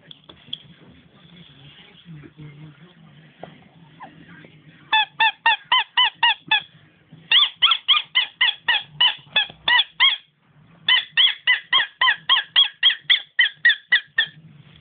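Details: Nemo the dog, who squeaks rather than barks, lets out fast, regular series of sharp, honk-like high squeaks, several per second, in two long runs broken by a brief pause, over low background hum.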